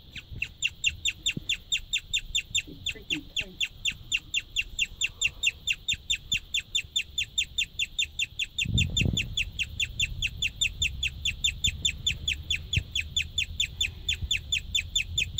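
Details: A pregnant white female guinea pig chirps just before feeding, giving a long run of high, thin, bird-like chirps evenly spaced at a quick, steady pace, with a brief low thump and faint rustling midway.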